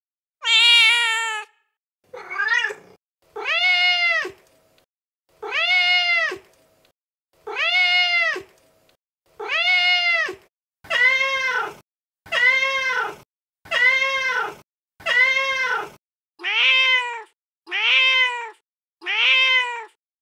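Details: Angry cat voice for scaring rodents: a shrill opening cry, then about a dozen short arched meows rising and falling in pitch, repeated roughly every one to one and a half seconds, some louder and brighter, in clean silence.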